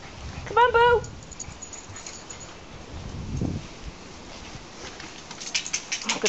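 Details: Dog meeting two male Shiba Inus gives a short, high, pulsed whining call lasting about half a second, followed by a quieter stretch with a woman's soothing voice and rustling handling sounds.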